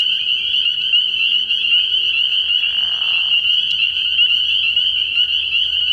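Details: Early-spring night chorus of spring peepers at a frog pond: continuous piercing, high peeps from countless callers. A short, lower, raspy sound interrupts near the middle.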